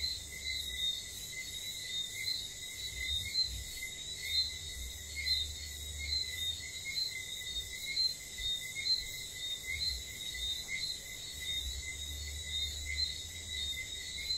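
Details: Whistling frogs calling at night on St. Lucia: short bright chirping whistles repeat about once a second, with many overlapping, above a steady high insect drone and low rumbling wind from small tropical storms.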